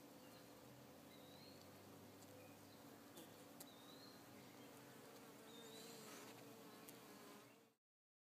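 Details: Calm bees in June 2012 give a continuous low droning hum with faint rising whines and occasional sharp clicks, ending abruptly in silence.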